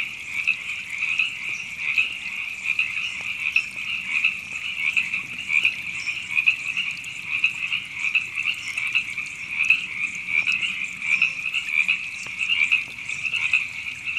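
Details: A steady wall of high, rattling frog croaks from Temescal Canyon Park in Los Angeles, California, April 2017, with many overlapping callers pulsing irregularly and faint low background rumble.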